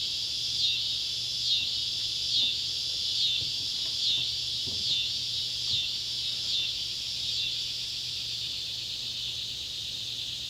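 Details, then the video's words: Neotibicen pruinosus and Neotibicen tibicen cicadas calling at sunset beside an old tobacco barn, Ballard County, Kentucky, July 31, 2013; a loud buzzing drone pulsing roughly once a second, with swelling surges over a steady hiss. "cicada sounds"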